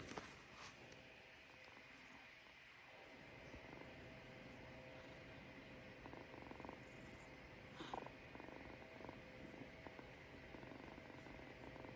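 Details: Kitten purring: a steady low rumble runs throughout with faint pulsing texture, a soft click near eight seconds and a constant high electrical whine in the background.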